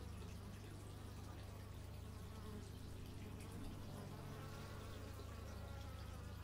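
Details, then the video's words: Bees buzzing outdoors, captured in stereo with an x/y microphone: a steady, low droning hum with faint wavering higher tones drifting through, all sitting over a constant deep background rumble. "Bee movie but its just bees"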